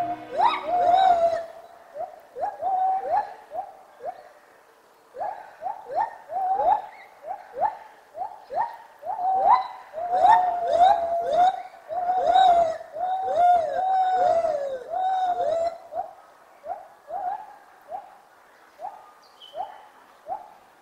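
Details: A gibbon's morning song: a long series of clear, swooping hoots that rise and fall in quick succession.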